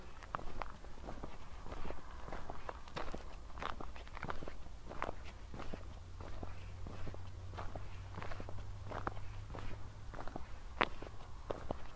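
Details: Steady footsteps crunch along a path over a low background rumble, with no animal calls.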